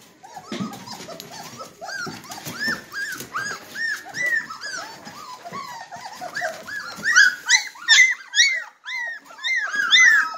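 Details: Litter of 3-week-old Red Golden Retriever puppies ready to nurse, indoors; a dense chorus of high, arching whimpers and squeaks from several pups overlapping rapidly, rising to louder squeals near the end.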